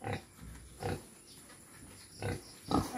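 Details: Two Quezon black native pigs, regaining condition before a boar is brought to them, make four short low grunts, two close together early and two near the end, with quiet background hiss between.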